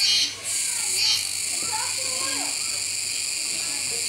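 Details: Steady, piercing buzz of Kuroiwa cicadas at Neopark Okinawa, Japan, on 16 October 2021 while a capybara feeds. The drone dips twice early on, with children's and adults' voices in the background.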